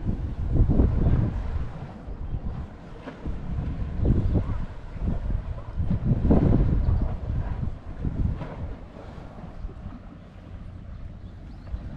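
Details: Gusty wind buffets the microphone in low rumbling bursts, with a vehicle-like drone underneath and no animal voice anywhere.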